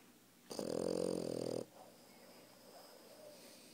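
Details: Puppy asleep on a person, giving one loud drawn-out raspy snore of about a second, followed by soft breathing in a quiet room.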